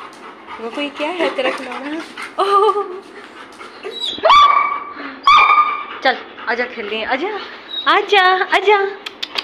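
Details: Pet Labrador Retriever being playfully mischievous, giving a run of high, wavering whines and short rising yelps that swoop up and down, mixed in with people talking nearby throughout.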